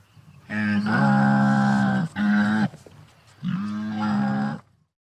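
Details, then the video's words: Wildebeest from the African savanna giving three drawn-out, nasal, lowing calls, each steady and rich in harmonics, the first and last over a second long, the middle one shorter, with short silences between and no other sounds. "SOM DE GNU"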